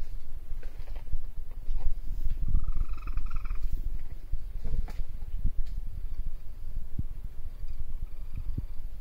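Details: Three young raccoon kits explore at night while their mother forages in a garbage bin she knocked over. They give low, rapid, purring churrs with a brief thin whine partway through.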